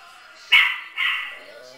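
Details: Chihuahuas watching their own recording on screen: two quick high-pitched barks, the second softer and drawn out, over a quiet background hum.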